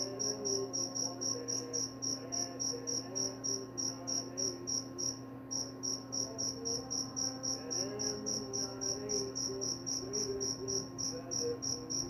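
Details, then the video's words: A cricket gives rapid, regular high chirps, nearly four per second, with a short break around the middle. Soft warbling lower sounds and a steady background hum are also present. "Suara jangkrik"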